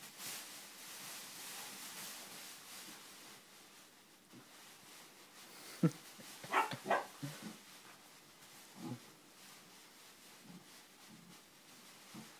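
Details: Bear, a 4-month-old English Springer Spaniel puppy, playing with a Kong on a bean bag indoors; a quick cluster of short, sharp yipping barks midway, with scattered softer huffs and rustling between them.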